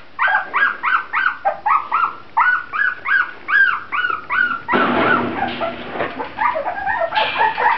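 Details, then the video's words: Grand Basset Griffon Vendéen pups whining in a steady series of arched, high-pitched whimpers about twice a second, then a burst of harsher overlapping yelps near the end. "Pups Grand Basset Griffon Vendéen"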